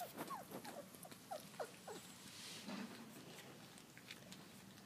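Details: Labrador Retriever pups, four weeks old, from a field-trial line, out in the garden at mealtime: a quick burst of thin, falling squeaks in the first two seconds, then soft shuffling and pattering.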